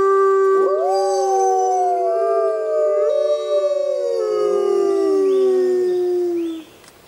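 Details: Wild grey wolves howling under a full moon in the jungle: several overlapping long, smooth howls that rise, bend and slide downward together for about six seconds before cutting off into quiet.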